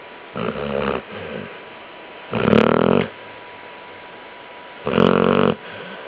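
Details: Sleeping basset hound snoring indoors: three rough, buzzy snores, each lasting about half a second to a second, spaced roughly two seconds apart, with quiet breathing between them.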